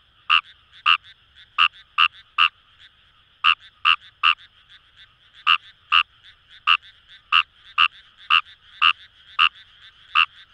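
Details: Rice frog croaking in Japanese paddy fields near the Kamo River in Itoshima, Fukuoka: sharp, clipped pulses in uneven bursts with short pauses, roughly twenty calls in ten seconds, with more distant frogs trilling softly behind.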